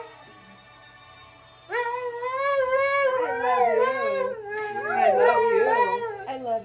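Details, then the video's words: Pair of Siberian Huskies howling to the song Nights in White Satin, starting after a quiet moment with rising, wavering, overlapping howls, music playing beneath and a person speaking briefly. "Two Huskies Howling to Nights in White Satin"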